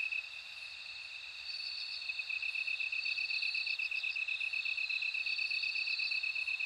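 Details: A bell cricket's chiming trill swells in short groups of bright pulses while a steady insect buzz grows louder underneath.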